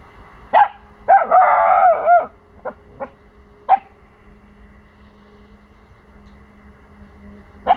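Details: Four-month-old Pomsky puppy barking to protect his territory after hearing sounds from the neighbours' house: sharp single barks and a drawn-out yelping burst with a wavering tone, then scattered barks spaced a few seconds apart, with a low steady hum behind.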